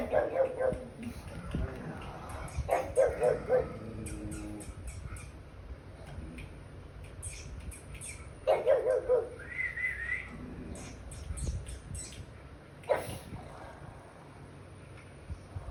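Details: Pug indoors, jealous of pugs and other dogs shown on television, barking fiercely at the on-screen dogs as if defending its territory; short bursts of sharp barks at about 0, 3 and 8.5 seconds, with television sound and room noise behind.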